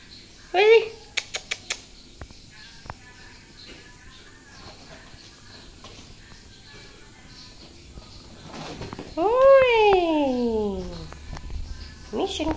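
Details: Domestic cats, a mother and her kitten, indoors: a short rising mew near the start, then a long drawn-out meow that swells and slides downward in pitch, with faint background noise between calls.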